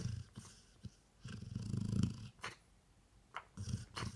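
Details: A sleeping dog gives short, purring low snores. One longer rattling snore sits in the middle, with brief breathy puffs and soft clicks around it.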